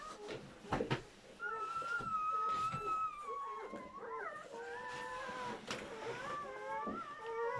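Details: German Shepherd in labour, delivering seven puppies: long, thin, tonal whines, one held steady then others wavering and rising, broken by short sharp yelps near the start, with a faint roomy background.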